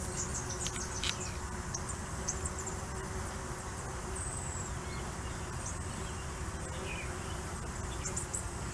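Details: Busy entrance of a Tetragonula stingless bee hive in Richmond, NSW, Australia, with workers carrying pollen in and waste pellets out; continuous dense droning hum with a thin steady tone, and scattered faint high chirps overhead.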